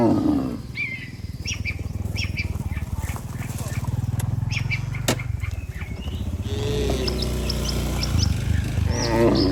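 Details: Dozens of tame cattle walking home together to the barn after a day in the pasture: a long, low, pulsing moo over the first five seconds, a shorter bellow near the end, and scattered bird chirps throughout.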